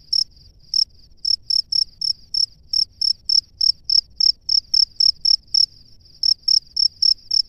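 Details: Calling male cricket in its nest, signalling a female: crisp high-pitched chirps in a fast, mostly even series, with two short breaks in the rhythm.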